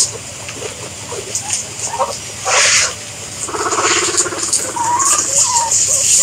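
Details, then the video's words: Guinea pigs giving a few short squeaky calls, with a buzzy rumbling stretch in the middle and a thin high whistled wheek rising near the end, over steady background hiss. "Guinea Pigs Sound"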